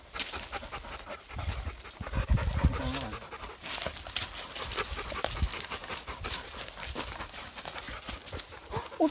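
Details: Husky dog tracking a pregnant deer on a woodland mountain walk in South Korea, a Labrador retriever staying nearby; rough, breathy panting bursts with rustling steps through undergrowth and brief human voices.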